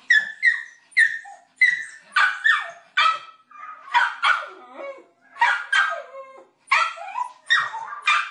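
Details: Pet dog giving rapid, high yapping barks in close pairs and bursts, some with whiny, falling tails, almost continuous over eight seconds.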